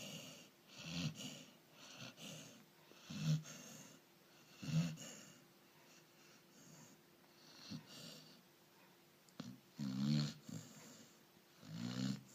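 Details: Labrador Retriever snoring: low, rumbling, breathy snores come in short bursts roughly every one to three seconds. A faint steady hum lies underneath, and quiet stretches separate the louder snores.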